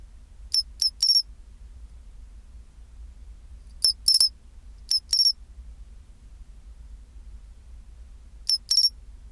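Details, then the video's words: Pine cricket, recorded at 24°C, producing crisp high chirps in the chinchirorin pattern. A triple tick-and-ring phrase is followed by paired bursts near the middle and another pair toward the end, with quiet low-pitched background noise. "チンチロリン Sound of pine cricket"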